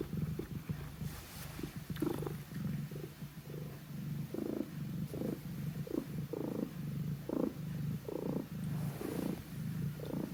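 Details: Domestic cat Q purring as it kneads next to the sleeping cat Pon; continuous low rumble with pulsing bursts roughly every half second, a faint higher thump now and then.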